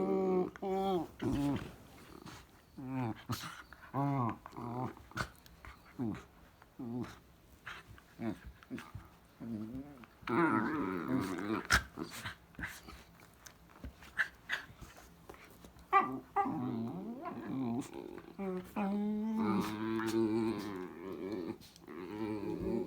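Two dachshunds trade grumbling growls and wavering, whiny yelps as they play together.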